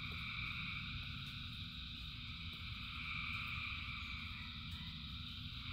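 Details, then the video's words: A massed frog chorus during rain gives steady, overlapping high trills in stacked bands, almost without variation, over a persistent low roar. "Frogs in Rain 2 Hours of Frogs, Thousands of Frogs Singing"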